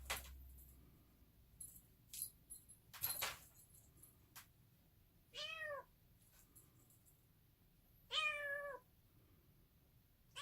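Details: Bengal kitten, a yellow male born 1 January 2019, giving two drawn-out meows that rise then fall, a few seconds apart, after some sharp clicks and knocks in a quiet room.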